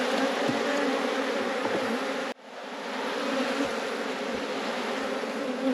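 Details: A busy honey bee colony drones continuously while a hive frame nearly three-quarters full of honey is checked. The buzz cuts out sharply for an instant midway, then swells back to a constant hum.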